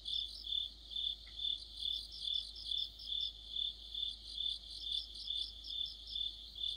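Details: Autumn night chorus of crickets under a streetlamp, high-pitched trilled pulses repeating about twice a second with a second singer's quick chirps weaving above; one faint short sound near the start.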